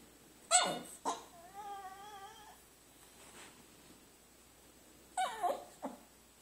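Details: Pet dog vocalising at its food inside a small room: sharp, high yips that drop quickly in pitch, a wavering whine lasting about a second, then another cluster of quick yips.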